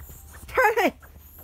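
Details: Charlie the dog cries in a tantrum because his son is lying over the treat: one short whiny cry, under half a second, with layered overtones that waver and then slide downward, over a low steady hum.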